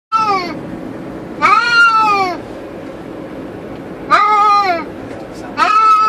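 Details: Two caged cats riding in a car on the highway give four drawn-out, harmonic meows, each about half a second to a second long, separated by pauses over a steady low road hum.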